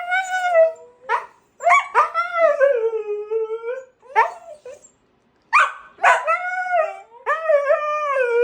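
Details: Siberian Husky and a companion dog screaming together: drawn-out, wavering howl-like cries that bend down then up in pitch, in bursts of about one to two seconds separated by brief pauses.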